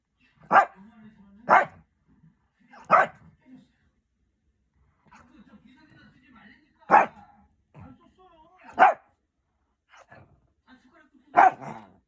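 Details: A Shih Tzu dog barks at its own daughter without reason: loud separate barks, sometimes two close together, with a woman's voice talking softly in the gaps.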